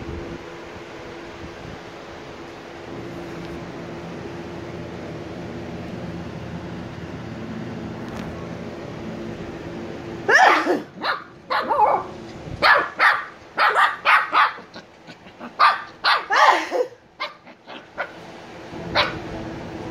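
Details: After ten seconds of steady mechanical hum, 86-day-old Shiba Inu puppies Niro and Kyno burst into a rapid, uneven flurry of high yapping barks lasting about seven seconds, then quiet again.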